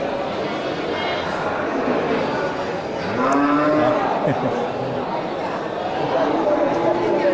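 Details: Local slaughter cattle at the Geulumpang Payong livestock market, 8 May 2021; a single rising-then-falling moo around the middle, over steady crowd murmur and talking.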